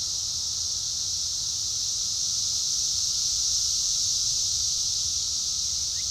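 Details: A cicada gives a loud, steady, high-pitched buzzing drone, unbroken from start to finish, drowning out a mockingbird.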